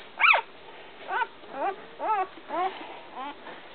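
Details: One-week-old American Water Spaniel puppies give a series of short, high, arching squeals and whimpers, one sharp yelp first, then softer cries roughly every half second.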